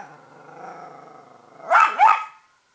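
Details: Pet female Italian Greyhound reacting to squirrels: a low, steady, rumbling growl for a second and a half, then two sharp, loud barks in quick succession.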